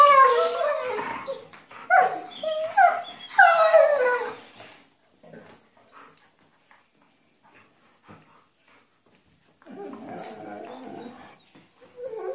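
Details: Two Weimaraner sisters play-fighting on a bed trade bursts of high, whiny, yowling growls that swoop up and down. After a quiet pause, a lower, rougher rumble returns near the end.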